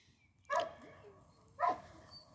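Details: Croatian Sheepdog Medo, a herding working dog, lets out two separate sharp barks about a second apart over a low background hiss.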